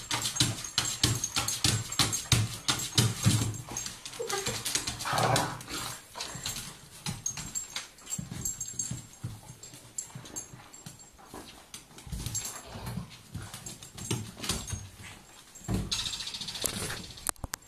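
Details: An excited Irish terrier in a small room makes constant rapid, rough growling and whimpering noises in quick irregular bursts that run through the whole recording, with a few higher squeaky moments.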